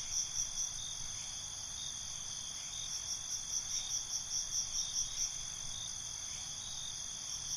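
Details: Crickets chirping after dark, short bright pulse trains clustering mid-clip above a constant shrill insect drone, quiet low noise underneath.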